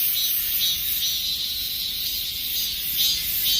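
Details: End-of-summer chorus of dozens of cicadas: an unbroken, shrill, high-pitched buzzing wash with gentle rhythmic surges, no other clear sounds.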